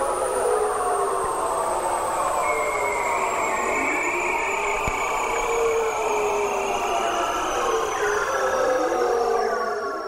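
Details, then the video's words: Male bearded seal mating call, played back as a guessing game: long, eerie descending whistled trills sliding slowly downward in pitch, several overlapping tones sweeping across the whole stretch with a continuous electronic-sounding warble. "That's actually the mating call of the bearded seal."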